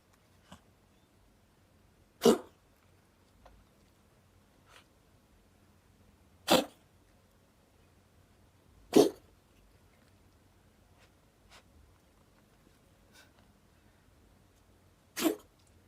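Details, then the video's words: Domestic cat in pain with a strange, painful cough: four sharp, harsh bursts spaced several seconds apart against an otherwise quiet room. "cat is in pain how to help A strange cough is very painful"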